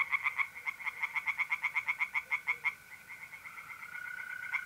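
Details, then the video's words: Pond-side tree frogs calling at night in mid-April, north-east Italy, with a quick burst of sharp, evenly spaced croaks that stops after about three seconds, leaving the smooth, unbroken trill of mole crickets. "relaxing singing tree frogs in pond and trilling mole crickets by night"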